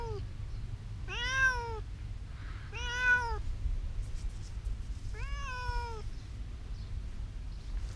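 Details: Cat meowing while hiding: three arched, whiny meows, two close together and a third after a pause of about two seconds, over a steady low rumbling background.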